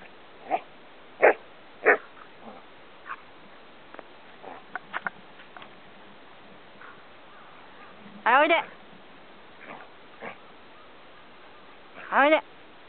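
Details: Samoyed named Gomaru teasing its owner at the Shobudani Pond Park campsite while being told to wait and sit. Short yelps, then two drawn-out, wavering harmonic 'woo' calls that rise and fall, with a person's voice in between.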